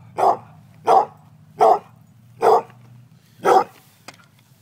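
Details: Female pet dog barking during a game of fetch, eager for the ball to be thrown: five evenly spaced sharp barks roughly every 0.7 seconds, then a faint click, over a low background hum.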